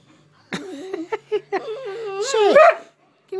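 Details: Big goofy pet dog 'talking' while being asked to shake a paw: short yips, then a long warbling, wavering woo-woo moan that rises and bends in pitch before cutting off, a final yelp at the end, barely any background.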